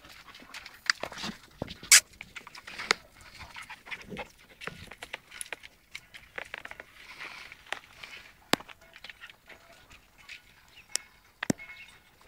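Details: Patterdale Terrier and Jagdterrier puppies at play; quick breathy panting and small scuffling sounds, with sharp clicks and knocks scattered throughout.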